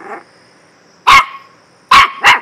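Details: A dog gives three sharp, loud barks, the last two close together, after a faint short growl at the start.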